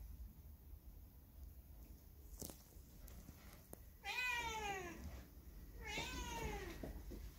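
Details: Lone factory cat that stays near people, its dog companions just taken away, on a cold windy day; a few clicks, then two drawn-out, falling meows about two seconds apart.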